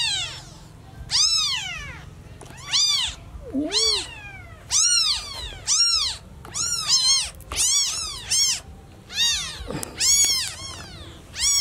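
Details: Newborn kitten meowing hard for its lost mother, shrill rising-falling cries in irregular bursts, some doubled and overlapping, with one lower short meow midway and a low droning hum underneath.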